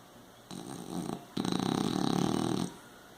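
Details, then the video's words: French Bulldog snoring indoors: a short harsh breath from about 0.5 to 1.1 seconds, then a longer rattling, buzzy snore from 1.4 to 2.7 seconds, with a steady faint background hum. "Bulldog francês Tufão roncando"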